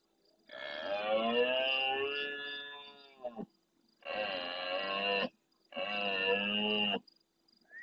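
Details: At nightfall near El Rocío in the Doñana marsh, Andalusia, Spain, a big red deer stag bellows close to a live camera, replying to faraway roars. A long, throaty roar of about three seconds is followed by two shorter, rasping roars.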